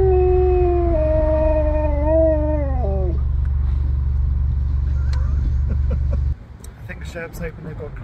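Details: From a vehicle at a drive-thru, a Husky gives a steady, slightly undulating howl that bends downward and ends around three seconds in. A loud idling engine hum continues, then brief speech-like sounds.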